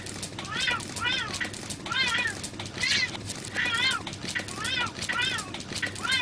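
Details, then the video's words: Male and female cat fighting, a string of short wavering cries rising and falling about once a second, each with bright stacked harmonics, over a steady murmuring background. "male cat and female cat are in fighting"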